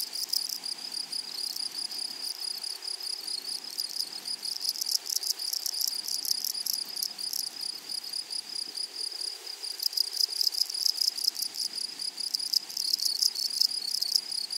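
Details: Meadow grasshoppers stridulating: a continuous high-pitched hiss overlaid with dense rasping pulse trains that swell in bursts around five and ten seconds, several insects overlapping in a quiet flowery grassland.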